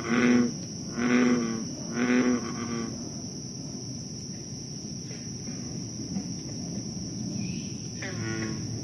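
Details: American bullfrog in Moore's Swamp, Concord, Massachusetts, night of 28 July 2013: three deep booming croaks in the first three seconds, then quieter distant calls under a continuous shrill insect hum.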